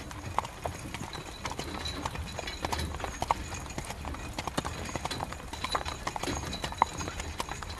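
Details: Rain-soaked carriage ride with a horse's hooves clopping in an even, regular beat, loud hoof knocks standing above a steady rainfall background.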